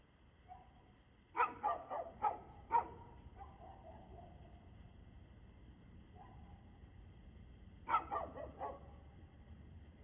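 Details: Barking dog recorded 2/6/2024 at 6:02 pm, giving a soft lead-in bark and then a rapid burst of four barks, a long pause with a faint yelp, and another quick cluster of three barks.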